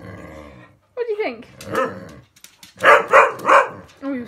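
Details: Cocker spaniels barking at a lint roller while a woman teases them for being tough; her speech and a low growl come first, then three sharp barks in quick succession, then more talking.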